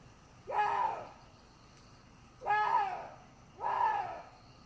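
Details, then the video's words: Water deer giving three scratchy, nasal cries that rise and fall, each under a second, spaced one to two seconds apart over a soft hissing background. "WATER DEER SOUND EFFECT 고라니 울음소리"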